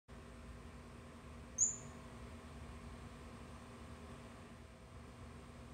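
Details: A male Atrato glass frog gives one very high, thin, piercing chirp over a steady, low mechanical hum in a zoo herpetarium exhibit; males call at night to attract females.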